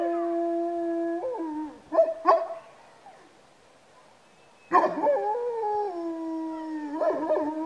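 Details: Georgian Shepherd dogs howl at home: a long, steady, tonal note that breaks into short wavering yelps, falls silent, then resumes with a sustained howl slowly sliding lower, ending in brief yips.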